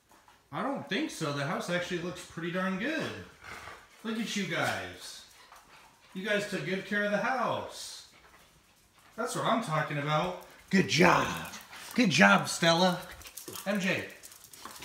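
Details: Home-alone female Husky puppy with a GoPro strapped to her body: long, sliding, yodel-like whines and howls in several bursts of two to three seconds, separated by brief quiet gaps in an indoor room.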